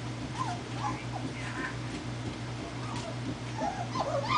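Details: Four-week-old German Shepherd puppies on their first walk give soft, thin whimpers that rise and fall, scattered across a few seconds over a steady low hum and a woman's quiet voice.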